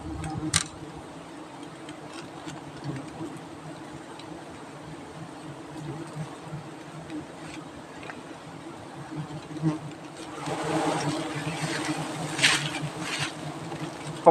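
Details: Wild giant honeybees droning during the harvest of their hives by honey hunters in Thailand; a steady low hum throughout, with crackling rustles and a brighter, busier swell in the final seconds.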